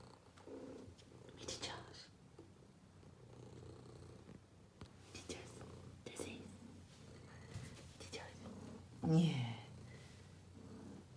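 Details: Pet cat giving a loud, continuous low purr indoors, a deep even rumble lasting the whole stretch while a person whispers and speaks softly nearby, with one louder word close to the end.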